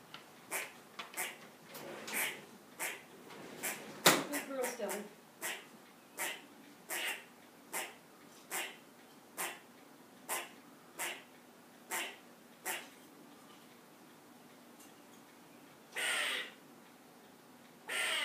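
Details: Squirrel in a yard, climbed to a perch and raising the alarm after a cat came in: sharp broadband chucks repeated roughly every half second to second, one louder burst near the start, a few longer rasping notes toward the end.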